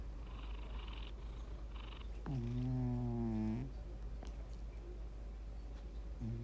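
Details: One loud, rough snore from a domestic cat, a deep vibrating drone lasting just over a second, then quiet breathing and a soft steady hum.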